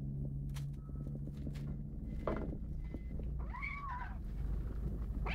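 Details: Domestic kitten, one of several in the household, being overprotective of its food; a single short arched meow-like cry rises and falls near the end, over a steady low rumbling background with a few soft knocks.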